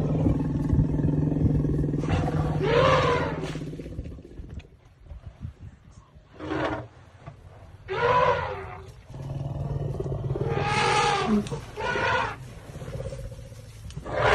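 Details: Elephant calling while giving birth to a baby: loud, harsh, harmonic roaring bellows in separate bursts of about one to two seconds, several in a row, over a steady deep rumble, with quieter gaps between calls.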